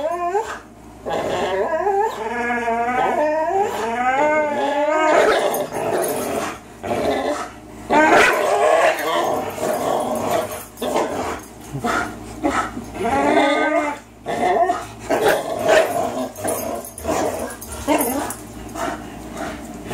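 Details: A 3-year-old Greyhound and a 3-year-old German Shorthaired Pointer in a long tug-of-war game: sustained wavering growls and whiny vocal moans rising and falling, broken by short pauses, with some human speech.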